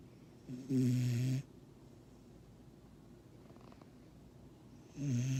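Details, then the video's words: A sleeping 6-month-old Vizsla puppy snores, with low rumbling breaths and a hissy, airy edge, coming in slow bursts. "Sleeping Snoring Vizsla"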